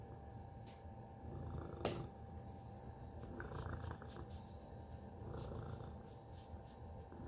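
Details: Cat named Tacy purring softly, a low throbbing rumble rising and falling about every two seconds, with a sharp click near the two-second mark and light rustling.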